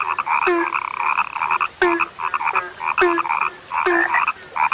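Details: Frogs described as rare give bursts of nasal croaks with twanging upward clicks, a low short note returning roughly once per second between the bursts.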